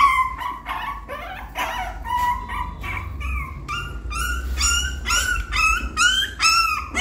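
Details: Young puppy trying to climb into the nest, letting out a busy run of high, rising yelps and whines, roughly two per second, growing louder and sharper toward the end over a faint low hum.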